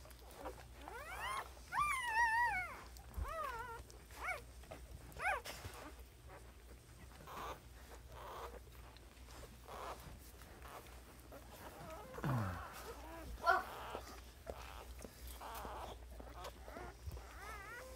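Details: Family dog giving birth to a litter of puppies at home; high, wavering whimpers and squeals rise and fall in quick bursts, strongest early on, with shuffling and handling noises and a low steady hum underneath.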